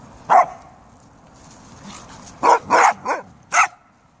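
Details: Pet Siberian Huskies and a Samoyed on a day of beautiful weather; one loud bark, a pause of about two seconds, then a tight cluster of four bright, sharp barks.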